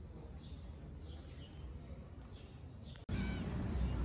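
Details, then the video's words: Stray kittens in Istanbul meowing for dinner: thin, high-pitched arching mews repeat roughly every half second over a low murmur of street noise. After about three seconds a sudden cut brings louder, rougher background sound. "Kittens meowing for dinner"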